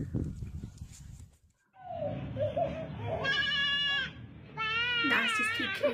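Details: Goat making funny noises, compared to the fighting screech of cats: after a burst of speech, loud wavering, strained bleats with a nasal, screechy tone, two long cries about a second each.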